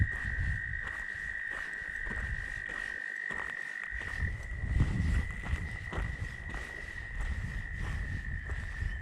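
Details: Loud tree frogs singing at a lake in Michigan: a continuous shrill trilling chorus holds steady for nine seconds, overlaid by strong low wind buffeting and occasional bumps.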